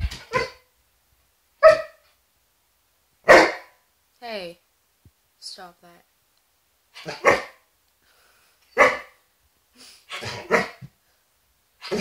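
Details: Indoor Border Collie, described as neurotic, barking at a patch of sunlight and shadows on a wall: sharp, loud barks in irregular bursts about every one to two seconds, with a person's short calls between barks.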